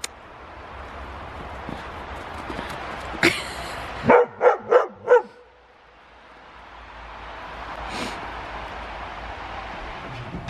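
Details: Wrestling huskies at play: after a quiet stretch, four short, evenly spaced barks sound in quick succession, then fade into low background hiss.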